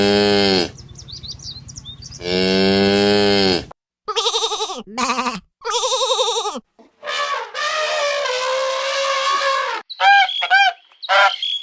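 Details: Farm cow mooing twice in long, deep, sustained calls at the start, followed by a series of shorter wavering bleats and other farm animal calls.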